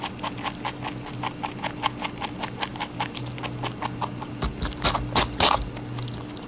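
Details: Rabbit eating watermelon, a fast run of crisp crunching clicks at about five per second, steady for four seconds, then louder, wetter bites near the end, over a low steady electrical hum.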